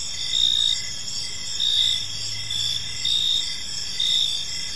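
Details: Evening park crickets give high, shrill chirps in short pulsing bursts, several per few seconds, over a continuous insect trill, with a faint low hum in the background.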